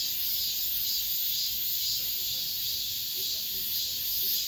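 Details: In an apartment complex at summer's end, cicadas keep up a bright, unbroken high buzzing with faint rhythmic pulsing. The level stays steady throughout.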